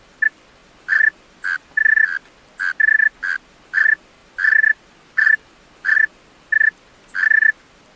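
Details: Male tree cricket at night giving a dozen or so crisp, musical chirps on a single shrill note, some stretched into short trills, repeated unevenly over eight seconds in a quiet setting.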